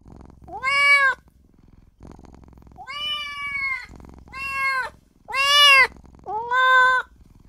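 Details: Newborn kitten crying for its mother and owner: five high, clear meows in under eight seconds, each arching up then sliding down, separated by quiet breathy pauses.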